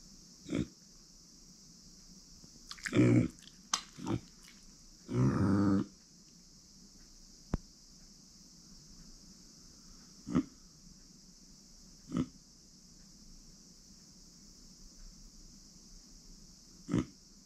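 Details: Pet female micro pig, born September 2020, grunting indoors: a cluster of deeper, longer grunts early on, then single short grunts every couple of seconds, all over a constant high hiss.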